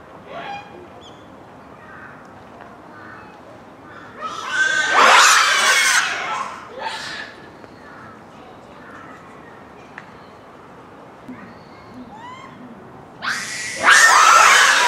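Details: Japanese macaque troop at Hamura Zoo, Japan, rather noisy at dusk near closing time, December 2020; quiet scattered coos between two loud, harsh, broadband screaming bouts, one lasting about two seconds, another near the end.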